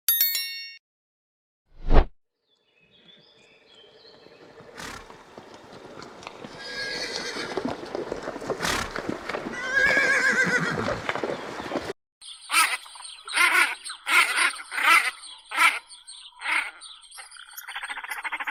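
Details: Horse neighing: after a few isolated knocks, a long, shaky, wavering whinny runs for several seconds, then a faster series of short, bright bursts follows.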